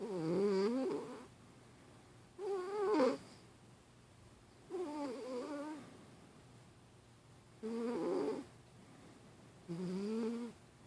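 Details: Domestic cat Milo snoring in REM sleep while dreaming. Five uneven, buzzy snores come roughly every two seconds, each wavering in pitch and varying in strength, with quiet breathing between them in a small room.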